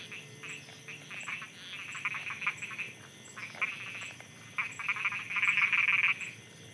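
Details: Frogs croaking at night in Thailand, several callers producing bursts of rapid, raspy pulsed croaks in the upper range, overlapping and irregular, with a faint steady insect-like ticking in the background.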